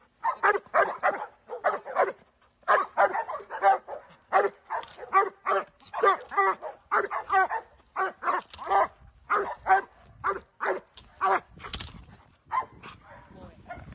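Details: Pet Giant Schnauzer giving a steady run of loud, quick barks, mostly in clusters with brief gaps; a thin high electronic tone runs faintly through the middle of the recording.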